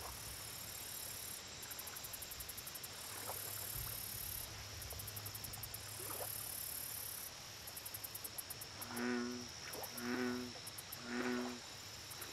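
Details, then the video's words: Insect whine and pulsing high trills fill the first part of a lakeside recording, then an American bullfrog gives three deep, rich croaks about a second apart near the end. "Bullfrog Lake Audio Only - Nature Sounds"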